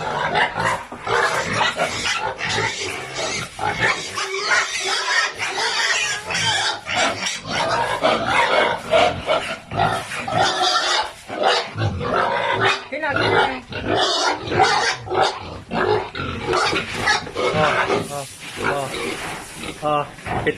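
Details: Sows on a hog farm, packed into a pen too small for their large size, squeal and grunt harshly and nonstop in dense overlapping bursts, with faint human voices now and then.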